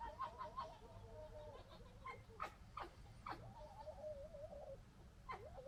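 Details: Local red foxes in family disagreement: soft, wavering whining calls and sharp clicking bursts alternate, the whines trembling and dipping in pitch, set against a constant low hum.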